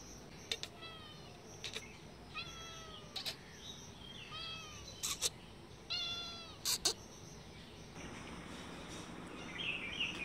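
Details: Cats on green grass behind a house after lunch, a brown cat with a white kitten, said to be ready to fight: about six short, high, bending meows spaced a second or two apart over quiet outdoor background.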